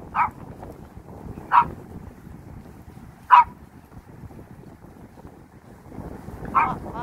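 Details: Pet dog Sugar on a windy walk on 21 March 2021 through Sorae Ecological Wetland Park and Songdo Moonlight Festival Park in Incheon, South Korea, gives four short, sharp yipping barks spaced one to three seconds apart over a low rumble of wind.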